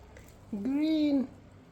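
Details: A cat eating hot roast chicken gives one drawn-out meow of under a second, a clear tonal cry with a gently arched pitch. The background is quiet.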